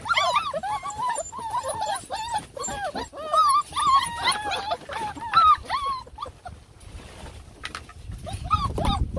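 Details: Belgian Malinois puppy at feeding time, on different types of surfaces; high, arched whines and yips repeat rapidly and overlap for six seconds, then thin out, with a low rumble and handling noise near the end.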